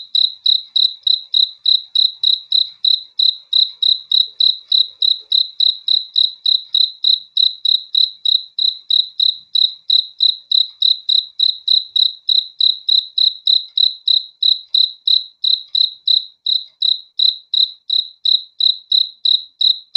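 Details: Crickets chirping at night for sleep and relaxation: a long, unbroken series of short, high-pitched pulsed chirps at about three per second, very regular and steady, with nothing else audible.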